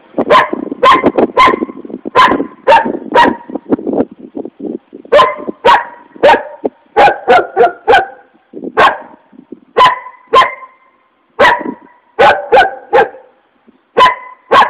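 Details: Furious barking from an angry dog: around two dozen sharp barks over fifteen seconds, often in quick pairs and triplets, separated by brief pauses.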